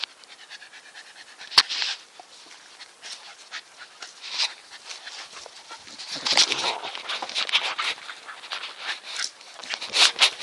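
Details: Nikita, a Staffordshire Bull Terrier, panting with quick, breathy bursts of airy noise that grow louder and stronger after about six seconds.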